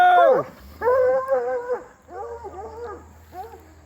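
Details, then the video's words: Hound dogs running the fence with Lucy, giving a falling yelp then long sustained howls and shorter wavering bays, fading toward the end, with a low hum behind. "Lucy versus hound dogs fence racing.. again.."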